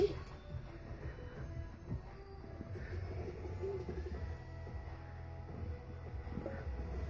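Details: Quiet background music mixes with low murmured voices and room noise indoors, with no animal voice present.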